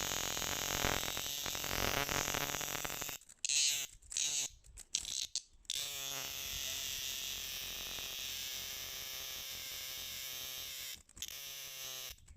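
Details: Cicada. A cicada produces a dense, shrill buzzing song, steady and high-pitched, with a rapid pulsing texture. The drone stops briefly a few times, then resumes at full strength.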